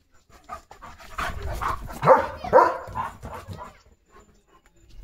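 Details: German Shepherd named Leo playing with a pipe in its mouth; two loud, short harmonic vocal bursts near the middle, rising then falling, amid softer breathy panting and rustling.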